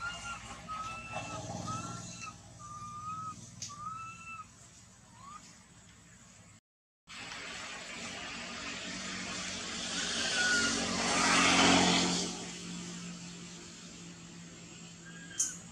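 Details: Baby monkey crying after its mother refuses it milk: a run of short, high, whistled cries, each a brief rising then falling arc, about six in the first five seconds. A brief silence follows, then a broad rumbling noise like traffic or running water.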